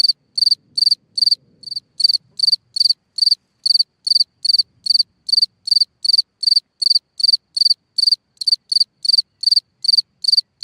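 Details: Singing cricket at a hole in the ground at night: a long, steady run of bright, shrill pulsed chirps, about two and a half per second, briefly broken by a shorter chirp early on, with near silence between.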